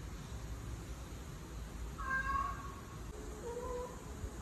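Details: Recording of a female cat in heat, played to ginger cat brothers; a single drawn-out harmonic wail near the middle, then a softer lower yowl, over a steady low hum.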